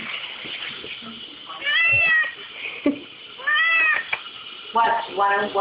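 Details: Pet kitten Bolt crying indoors near the dishwasher, eager to lick the dishes; three wavering meows, the last broken into short repeated notes, mixed with a person talking and kitchen clatter.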